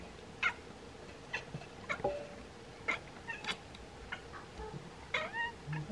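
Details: Two Bengal cats at a window chatter at swallows preparing to migrate, in quick, clipped chirps and stuttering clicks with a brief meow mixed in.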